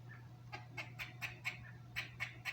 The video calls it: The weird sounds a squirrel makes